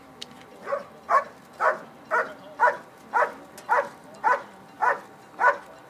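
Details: Dog barking during a bark and hold exercise at the 2013 Schutzhund USA IPO Nationals: steady, evenly spaced barks, about two per second, each a short harsh burst, with a faint murmur of background sound.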